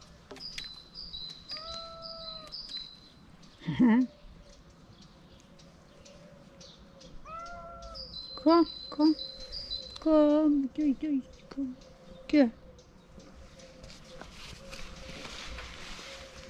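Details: Ginger cat that gently bites fingers, one of a pair living together; several drawn-out and falling meows in bursts, some clustered close together, alongside a person talking and high steady bird whistles in the background.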